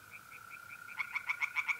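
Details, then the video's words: Night chorus at a pond in North-East Italy in mid-April: a continuous thin whine of trilling mole crickets, joined after one second by a tree frog's quick series of sharp, clicking croaks. "singing tree frogs in pond"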